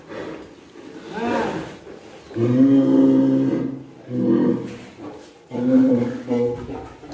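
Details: Deep, sustained lowing from the giant contest cattle Hanoman in Indonesia, prepared for a 2023 show: a steady bellow followed by two shorter moos, with faint background voices.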